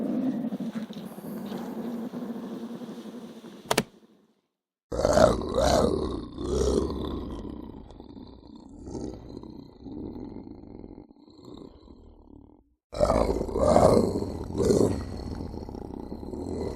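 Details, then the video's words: Lynx giving a series of rough, gruff growling bursts, low and broadband, in uneven clusters separated by short pauses, with an abrupt break partway through. "Lynx Voice & Original Sounds for Kids"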